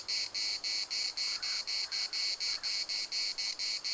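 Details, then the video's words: Cicadas singing in the municipal park at Larnaca: a loud, high, buzzy chorus pulsing steadily about four times a second, each burst sharp-edged, with faint distant calls underneath. "CICADAS at the municipal Park Larnaca"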